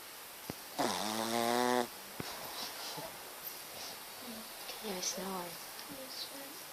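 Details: Shih Tzu named Matilda snoring indoors: a single loud, rasping, harmonic snore lasting about a second, followed by a few faint soft voice-like sounds in a quiet room.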